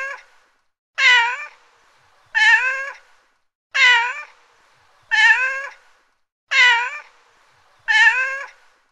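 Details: A cat gives a steady run of meows, six full calls plus the tail of one at the start, each rising and falling in pitch and recurring about every 1.4 seconds against silence.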